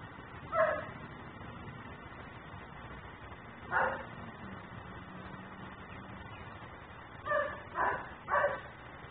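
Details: A dog left outside in Mecklenburg, barking as a neighbourhood nuisance, picked up by a camera: single loud barks spaced several seconds apart, then three quick barks near the end, over a steady low hum.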